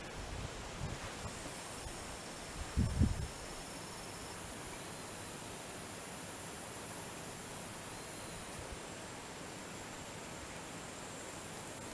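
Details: Quiet outdoor hiss and rustling, with a brief low thump near three seconds and no animal voice.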